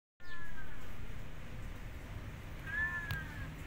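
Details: A kitten left alone after jumping out of its hut, meowing loudly: two drawn-out, slightly wavering meows, one near the start and another near the end, over a steady low rumbling background.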